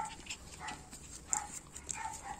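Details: Young puppies from the two litters of Orlanda and Lana give brief high yips and squeaks scattered through a couple of seconds, with soft scuffling and household noise around them.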